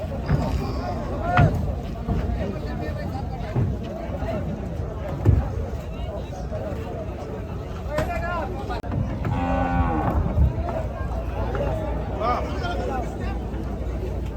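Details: Large Gaiya cattle at a cattle farm during unloading; a drawn-out, throaty moo rises and falls near the nine-to-ten-second mark, set against steady engine-like rumble and scattered clatter, with a few faint shorter lowing sounds earlier.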